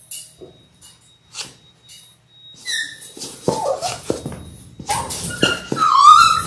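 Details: Six Labrador Retriever puppies in their sixth week, born January 18, 2022, on an indoor live puppy cam; soft rustles and thumps build into scuffling, then a loud, rising, drawn-out whine near the end.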